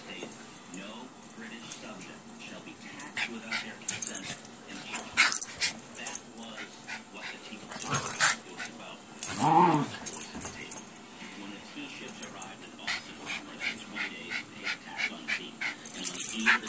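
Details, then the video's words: Two Schipperkes, Shylee and Hudson, playing, with Hudson making funny sounds: scattered soft yips and grumbles, one louder drawn-out yelp near the middle, over steady rustling and scuffling from the play, with light jingling throughout. "Schipperkes playing"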